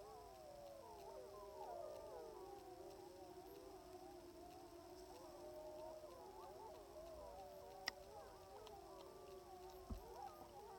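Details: Sustained chorus from sixteen wild timber wolves on a hillside in southeastern Alaska, September 2018, captured at around 700 yards through a spotting scope; many voices wavering and yipping in a continuous interwoven swell, with two brief sharp clicks.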